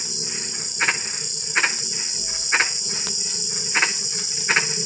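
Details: Night-time frog calls in light drizzle: five or six short, scratchy croaks at loosely spaced intervals, around eighty per minute, over a continuous high ringing of crickets.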